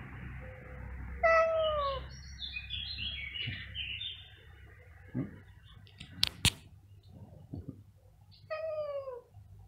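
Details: Two domestic cats meowing very loudly: a falling, drawn-out meow near the start and another descending meow at the end, with thumps and sharp knocks in between against a low background hum.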